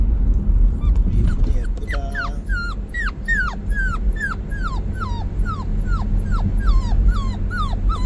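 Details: Puppy Bandalgom, on its way to a new home, whimpers in a steady run of short falling cries, roughly two or three per second, after a few rougher yelps at the start, over constant low engine-like hum.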